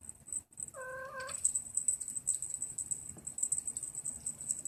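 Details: A 48-day-old Maine Coon kitten gives one short, flat, steady-pitched meow of about half a second, followed by quiet rustling under a constant faint high hiss.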